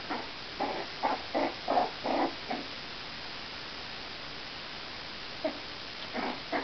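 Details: Jack Russell Terrier puppies, four weeks old, at a kennel: a quick run of six short squeaky yelps, a pause, then a few more soft squeals near the end.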